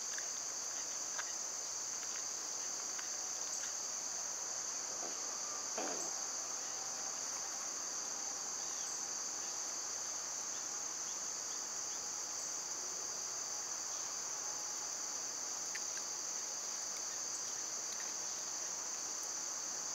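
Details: An unbroken high buzzing of summer cicadas runs the whole length, with a brief soft rustle midway and occasional faint clicks behind the insect chorus.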